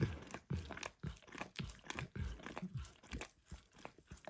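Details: Dog named Max licking a bumpy orange lick mat coated with food, eggs to diluted peanut oil; wet, smacking laps in uneven bursts about two per second, close and quiet indoors, no talking.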